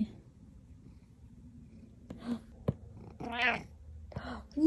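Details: Happy male house cat giving a short harmonic meow near the end, after soft rustling and a person's quiet praise of "good boy"; a brief higher squeak closes the moment.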